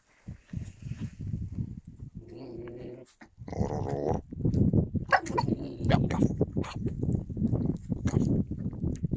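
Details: Yakutian Laika recorded in January 2022, giving low rough growling sounds mixed with short tonal whining cries around the middle, against steady low background noise and handling sounds.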